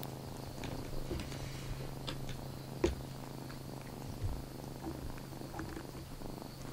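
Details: Kitten Lana, fitted with a paper cape after dashing around the room indoors, purrs in a steady low rumble with soft rhythmic pulses, a few faint clicks and rustles over it.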